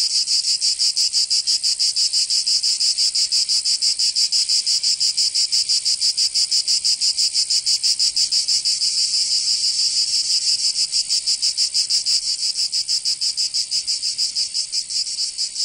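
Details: Cicadas of Provence, southern France, in summer: an unbroken, piercing rasping buzz throbbing in fast even pulses around three per second for the whole stretch, nothing else audible.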